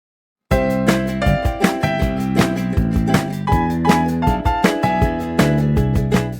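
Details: Upbeat instrumental music with steady plucked and percussive beats, no animal voices audible.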